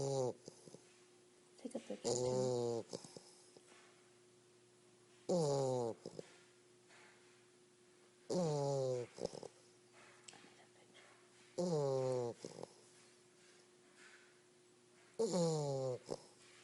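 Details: A napping English Bulldog puppy snores loudly, each rattling breath coming roughly every three seconds.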